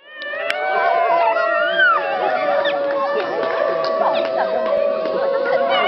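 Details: Basenji named Turbo yodelling along to a harmonica at the Swedish Basenji Specialty 2011; wavering, sliding howl-like tones rise and fall over a steady harmonica note, with crowd voices in the background.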